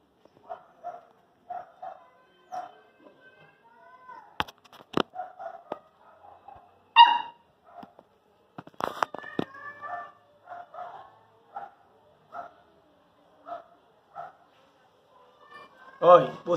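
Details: Pit Bull arriving at her new home: a run of short high whines and yips repeated about every second, with a few louder sharp bursts, soft handling noises and a voice at the end.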